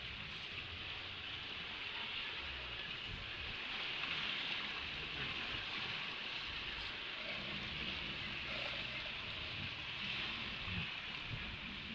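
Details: Steady hiss of rain, surf and wind fills the recording, with no animal voice standing out. Low rumbles come and go beneath the broad wash of noise.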